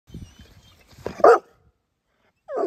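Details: Pet dog giving a single sharp, loud bark after some soft low grunting noises, then silence, and the start of another bark at the very end.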